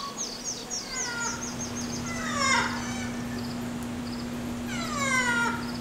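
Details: A busy group of female ring-tailed lemurs at the Bronx Zoo gives several rough, nasal, harmonic calls, each rising then falling, over a constant low hum with thin high chirps early on.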